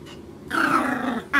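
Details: Dog, called a boy, growling while being scolded with repeated no's: a steady, drawn-out rumbling growl lasting under a second that slowly falls in pitch, cut off by another short sound.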